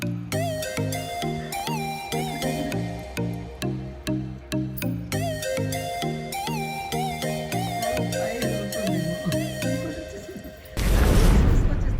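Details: A bouncy, plinking instrumental tune plays, then ends in a loud burst of broadband noise, with no clear animal calls.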